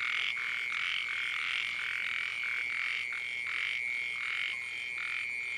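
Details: Small frogs calling at night in the rain in flooded country: rough, buzzy croaks repeated in uneven bursts about every two-thirds of a second, over a constant thin high-pitched whine.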